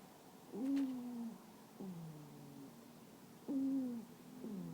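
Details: Rara, a toy poodle, snoring loudly in her sleep indoors: three short tonal, whistle-like snores, each flat then gently falling, spaced about a second or more apart, with quiet breathing between.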